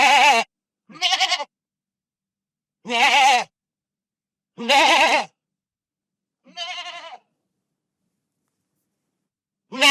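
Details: Real goat bleats from a pasture: a run of short, quavering, nasal calls, some clipped and some drawn out, spaced one to two seconds apart over clean silence, one fainter call near the end.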